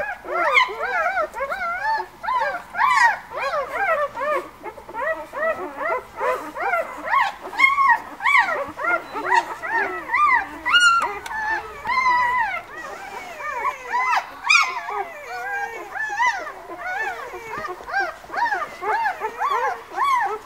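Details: Litter of White Swiss Shepherd puppies from a breeder, born 11 August, in a chorus of overlapping high whines and squeals, rising and falling arcs tumbling over one another in continuous waves.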